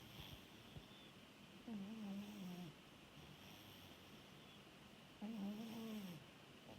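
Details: Rescued orange tabby cat snoring while asleep: two low, drawn-out, slightly wavering snores about three and a half seconds apart, over a steady soft hiss.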